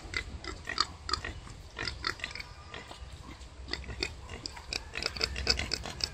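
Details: Female wild boar in labour: clusters of short, bright squeaks and grunts in quick bursts, some with a ringing tonal edge, over a constant low background hum.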